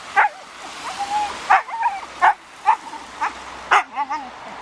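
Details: Siberian Husky named Raign losing its temper at a ball or balloon, giving a rapid string of sharp yelps and wavering, whiny cries that bend up and down in pitch, over a steady background hiss.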